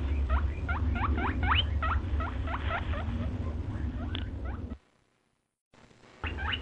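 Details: Dense run of short rising squeaks from a white rabbit, about four a second, with a droning low hum beneath; a brief silent gap follows before a few more squeaks return.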